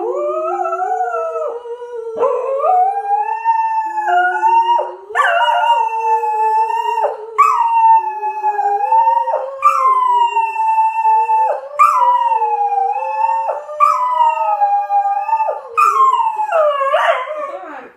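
A Cocker Spaniel howls in long, wavering tones alongside a person singing.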